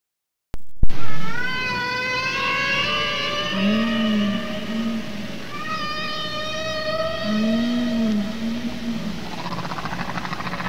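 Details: Humpback whale song, sung only by males probably to attract females: long, moaning tonal units with rich harmonics, a low arching note repeated twice.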